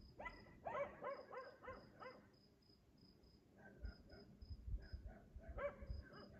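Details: Dog barking in the night at 3 AM in Aliseda (Los Galaperos), repeated nightly while its owners sleep; a run of rapid barks early, then fainter scattered barks, with persistent high insect chirping and low background rumble.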